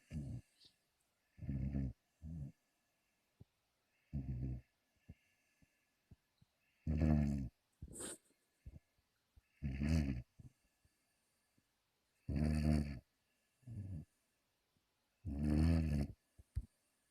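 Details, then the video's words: Sleeping 5-month-old American Pit Bull Terrier named Tim snoring steadily: deep, rough, rattling breaths repeating every two to three seconds, some drawn out and louder, with faint clicks between them indoors. "Питбуль Тим Спит. Собака храпит"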